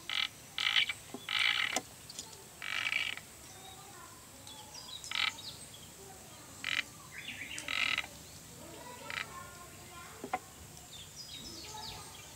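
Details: Sado frog, a new species discovered on Sado Island, Japan, calling: short bright bursts repeated irregularly, some doubled, over steady hiss and faint background chirps.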